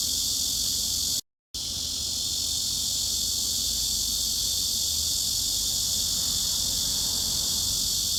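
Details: Cicada, offered as a mid-frequency masking sound for tinnitus relief, focus and sleep: a steady, dense, high hissing buzz that holds unbroken apart from one brief dropout to silence near the start.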